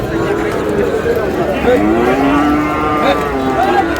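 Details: Sahiwal bull calves at a cattle market during bargaining, as a farmer from Comilla buys, 24 May: a low, gently sliding moo stretches across the brief moment beneath overlapping human voices.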